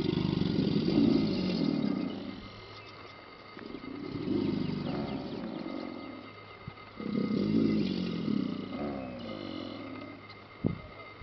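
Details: American alligators bellow at Paynes Prairie Preserve State Park, La Chua trail, Gainesville, Florida, in deep, rumbling roars, each lasting a couple of seconds, given one after another.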